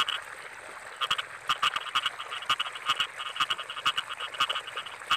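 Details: Frogs in a rice field during the rainy season give sharp, rapid croaking pulses that overlap in a dense, steady chorus.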